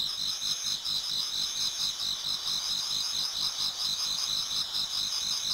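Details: Autumn insects in a Japanese garden near dawn, many singing at once: a continuous high, shimmering trill chorus with fine rapid pulsing layered in two bright pitch bands, steady in loudness throughout.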